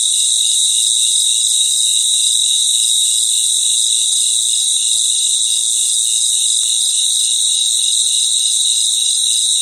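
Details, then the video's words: Crickets singing together at night in their habitat, a continuous high, metallic trill layered over regular pulsed chirps, loud and steady with no other animals or noises. "Sounds of Cricket | Relaxing Sounds of Crickets"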